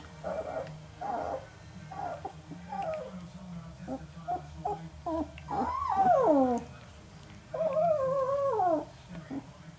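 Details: Newborn Northern Inuit puppies, three males aged 11 days, whimpering: soft short squeaks at first, then two longer wavering whines that dip and rise, with a woman's voice speaking gently.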